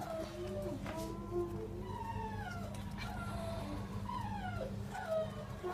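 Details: Border Collie puppy, 36 days old, giving thin whining whimpers that slide up and down, several short cries spread through the clip over a steady low hum, with a faint voice.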